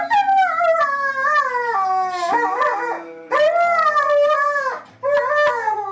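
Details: Siberian husky, a pet, howling along indoors in what its owner calls singing: long wavering howls that rise and fall, broken by brief yips. A steady low background tone runs throughout.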